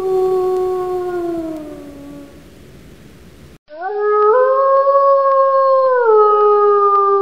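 A wolf gives long, smooth howls, one sliding slowly downward and another held steady before dropping.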